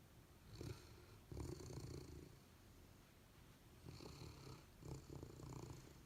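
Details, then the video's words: Golden Retriever Abundant Joy and Labrador Retriever Honey sleeping and dreaming. Soft grumbling snores come in short clustered bursts, first around the start, then again after a quiet stretch, with small snuffly catches. "Dog Snoring: Golden Retriever and Labrador"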